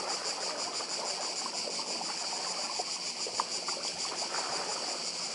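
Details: Cicadas on Badija island, Croatia, by the sea: a steady, dense high buzzing chorus with a rapid pulsing shimmer, unbroken throughout, over soft washing surf and a few faint clicks.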